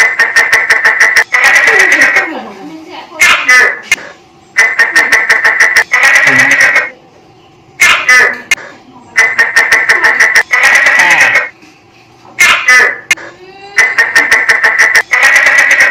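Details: A tokay gecko in a kitchen gives loud, harsh, pulsing calls in bursts, with short silences between them.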